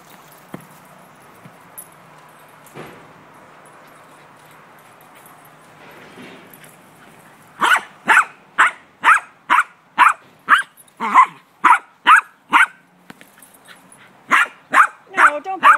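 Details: Gracie, a dog playing ball, starts barking after several quiet seconds: a steady run of about fourteen sharp, loud barks, roughly two per second, some ending in a brief whine.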